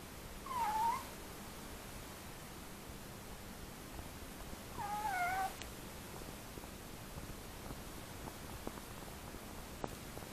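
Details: Maine Coon cat while playing with something new, giving two short tonal meows, one near the start and one about five seconds in, each bending down then up, over steady faint room hiss.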